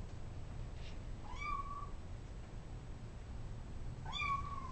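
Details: Feral tuxedo mother cat with her kittens: two clear, slightly rising then falling meows about three seconds apart, over a steady low hum.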